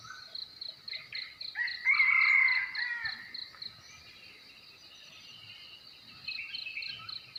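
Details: Crickets at dawn in Belus Bikase, Nekmese village, Ki'e, South Central Timor, NTT, Indonesia: a high pulsed chirp train repeating about four times a second, partly masked by a loud bird phrase and other birdsong.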